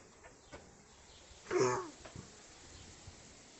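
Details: Central Asian Shepherd Dog (alabai), a nine-year-old dog with an unexplained cough that comes with vomiting; one short, harsh, broad burst of coughing midway, then a few faint knocks in an otherwise quiet indoor room.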